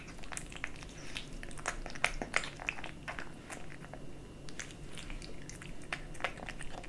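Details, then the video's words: Kitten eating dry and wet cat food indoors: rapid irregular crunching and chewing clicks, roughly three per second, sharp broadband ticks over a low steady room hum. "Kitten eating Dry & Wet cat food ASMR"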